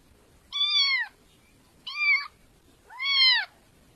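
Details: Domestic cat meowing three times, each meow a drawn-out, slightly falling harmonic cry about half a second long, spaced roughly a second apart, with quiet background otherwise.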